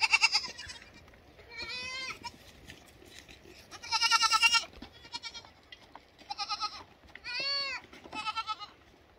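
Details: Lambs calling in a lively chorus of tremulous, rising and falling bleats, loud and close, with brief pauses between overlapping voices.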